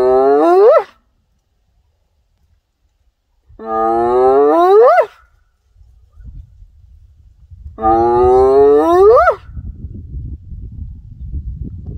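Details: Hyena giving three drawn-out tonal calls, each holding steady then sweeping sharply upward at the end, spaced about four seconds apart, with low rumbling background noise after the second call.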